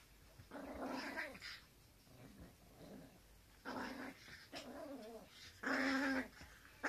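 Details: Teacup Poodles, a married pair, with the wife taking everything away from her husband: repeated throaty, harmonic growling grumbles in short bursts of about half a second to a second. Quieter murmuring comes between the bursts, and the final burst is the loudest.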